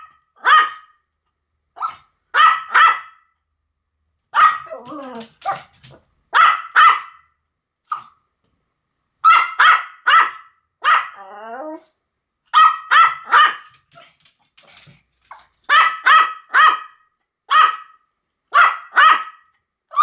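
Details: A long duet of barking by the Pomeranians Sam and Marin. Quick high yaps come in clustered runs, broken twice by wavering, whining yowls, and the runs grow denser near the end.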